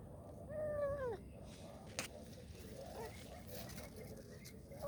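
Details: A kitten calls out, asking for help: one clear, drawn-out meow that slides downward and fades within the first second, followed by faint, quieter sounds, a single sharp click and a low background rumble.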